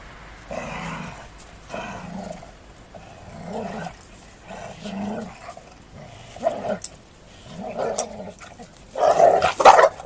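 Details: Golden Retrievers playfighting, giving loud, harsh growls in repeated rumbling bursts of about a second each. The growls build to a louder, noisier snarling flurry at the end, with a steady low hum underneath.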